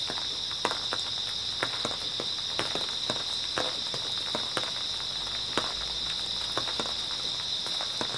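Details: Steady high trilling of grass insects on an early autumn night, constant in pitch and loudness, broken by sharp, closely spaced footstep crunches from someone walking nearby.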